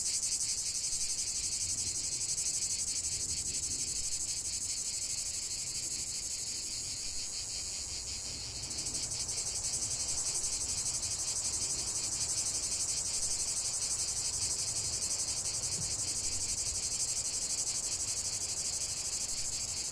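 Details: Relentless high-pitched cicada chorus outdoors, a dense buzzing drone with a short lull near the middle before resuming at full strength; faint low background rumble.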